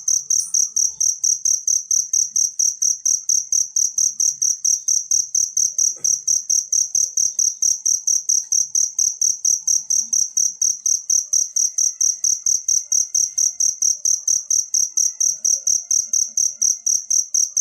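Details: Natural cricket chirping for teaching songbirds: a long run of shrill, ringing pulses at a steady rate of about two per second, with a faint tap near the start and quiet background.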